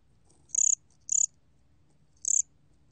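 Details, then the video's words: Gom cricket (곰귀뚜라미), Korea, 2020 archive recording: three brief, shrill trilled chirps, the first two half a second apart and the third after a longer pause, each a rapid burst of pulses above a soft low background hum. "곰귀뚜라미, 여러번 듣기, 곤충소리"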